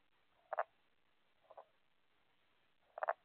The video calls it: Tomato frogs calling